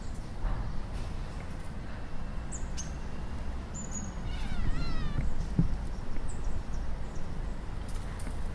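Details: Cat imitating bird sounds, with dry leaves rustling underfoot. Near the middle comes a short burst of wavering, stacked chattering notes, set over a constant low rustle and crackle.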